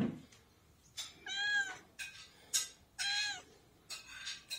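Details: Domestic cat waiting for its lunch, meowing insistently: four loud harmonic meows with a whining, slightly arched pitch, each about half a second long, spaced roughly a second apart in a quiet room.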